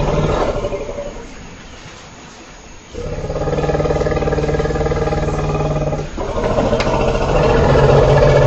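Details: Elephant vocalising: after a short fading call and a quiet pause, a sustained rough, rumbling roar rises and holds steadily with a throaty harmonic tone for about five seconds.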